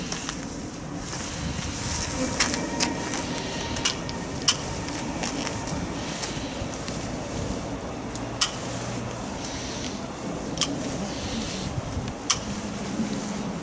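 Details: Swarm of Japanese honeybees, estimated at several thousand to about ten thousand, being captured during swarming. A steady low droning hum runs throughout, broken by sharp intermittent clicks and taps.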